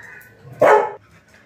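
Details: Lily, a pet Labrador, gives a single abrupt, loud bark over faint background music, with no further calls after it.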